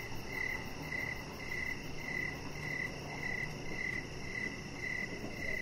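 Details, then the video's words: High, evenly spaced cricket chirps about twice per second on an evening outdoors by a deck with a chihuahua, set over a steady low background hum. "Chihuahua Puppy Laying On Deck with Cricket Sounds"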